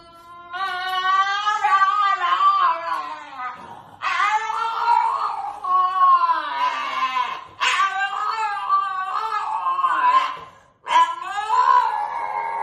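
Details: French Bulldog giving long, wavering, yowling howls almost without a break, rising and falling in pitch across several sustained phrases, close and loud indoors.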